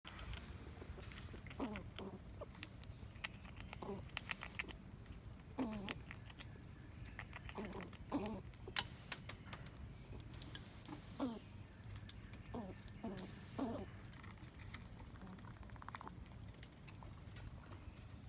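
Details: Backyard squirrel talking while eating: short soft squeaky chirps and chatters scattered among steady crunchy chewing and clicking noises, with low background rumble.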